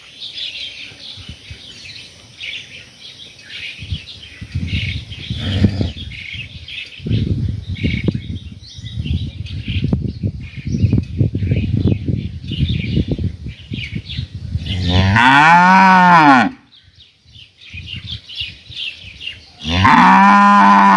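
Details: Summer in a village with cows: rustling and thumping noises first, then two loud moos near the end, with faint bird chirps in the background.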